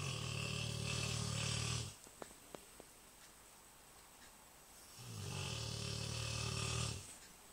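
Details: A big female Rottweiler snores loudly, each long rasping breath followed by a pause.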